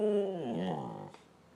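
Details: Tabasco Jones, a pet dog, answers its owner during a ball exchange with a short moaning growl whose pitch dips and then bends back upward before fading after about one second.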